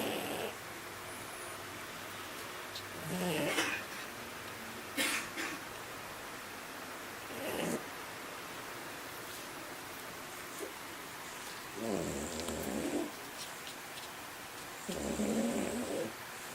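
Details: Haruta, a French Bulldog aged one year two months, naps quietly on 27 June 2013 with modest snoring. Soft, breathy snore bursts come irregularly, about five across sixteen seconds, over a faint steady room hiss.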